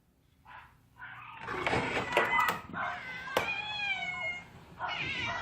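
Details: Outdoor yard cats being offered pouch food, which they largely refused. Several drawn-out, wavering meows overlap across the middle, with sharp clicks and knocks mixed in and a softer meow near the end.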